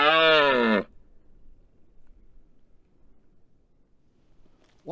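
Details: Close-range bellow from a rutting red deer stag on the Isle of Rum, standing over a microphone placed on the road, calling to attract females and impress rival stags. A short, loud, grating roar slides downward, then silence, then the next roar begins.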